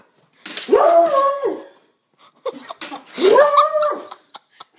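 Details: Indoor coonhound, upset while a mail carrier passes outside, gives two long mournful bays that rise, hold and fall, each over a second in length, separated by a brief pause with soft snuffling.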